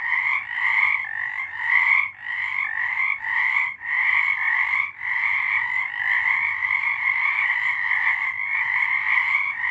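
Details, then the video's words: A March 2023 night chorus of many frogs, with pulsed, overlapping croaks that come in bursts every half second or so during the first seconds, then merge into one unbroken droning trill. "Frogs singing"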